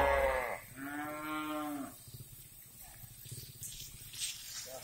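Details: Cattle on a breeding farm in Riau, Indonesia: a short strong moo followed by a longer, steady, low harmonic moo lasting about a second, then quieter farm background with faint knocks and distant noises.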